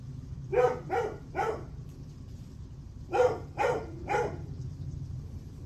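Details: Dog barking at 8:38 am on July 9, delivering two quick bursts of three clipped barks each, separated by a pause of about a second and a half, over a constant low rumble.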